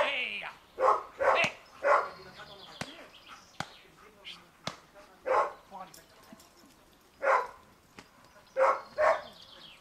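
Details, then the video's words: Dea vom Wasserschloß, a Giant Schnauzer, barks during protection-dog training: quick runs of two or three sharp barks, then pauses and further barks, alongside a handler's shouts of "hey" and sharp clicking knocks. "Riesenschnauzer Dea vom Wasserschloß - Schutzdienst"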